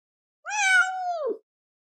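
A Siamese cat gives a single long, drawn-out meow that holds steady and then drops at the end.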